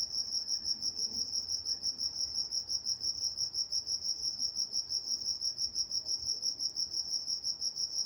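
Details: Steady nocturnal cricket chorus from Walnut, California, bright high-pitched chirps pulsing evenly about three times each second, a thin higher harmonic above and a quiet, calm background.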